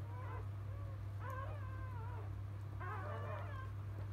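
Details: Labrador Retriever puppies of field type right after birth, mother biscuit a 2017 JFA Grand Champion; two bursts of thin quavering squeals separated by a pause, steady low hum throughout.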